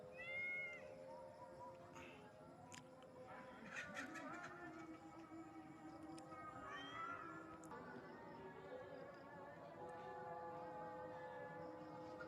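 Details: Village cat frightened on hearing a siren gives several drawn-out meows, each rising then falling, spaced a few seconds apart over a steady humming background with faint musical tones.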